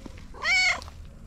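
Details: Orange cat talking to its owner, giving a single clear, short meow that rises and then falls, with quiet background noise.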